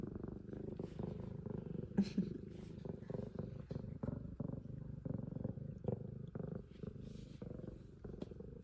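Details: An F2 Savannah cat, a female, purrs extremely loudly and steadily: a deep, rumbling drone with soft clicks and breaths.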